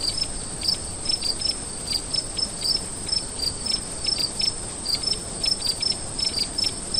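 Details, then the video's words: Nighttime crickets chirping: quick high pulses repeat steadily about every third of a second, layered on a constant shrill buzz from other insects. "Sonido de GRILLOS en la NOCHE"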